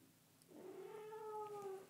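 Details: Bengal kitten in a lap being petted gives a single long, steady meow, rising briefly then holding level for over a second, clear and tonal against quiet indoor background.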